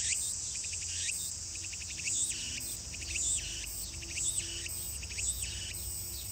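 Walker's cicada repeats a phrase about once a second: a fast stutter of pulses and then a swooping buzzy note.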